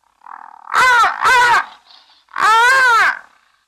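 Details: Brown hyena at Safarihoek Lodge in northern Namibia's arid savannah bordering Etosha National Park, one of three, possibly in estrus, on a live wildlife camera; two loud, harmonic, wavering squeals in quick succession, a pause, then a third longer squeal.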